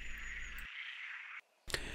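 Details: Many frogs calling together at a lakeside viewpoint on the Lac de Madine reservoir in France, forming an unbroken buzzing chorus briefly cut off, with low rumbling background noise at the start.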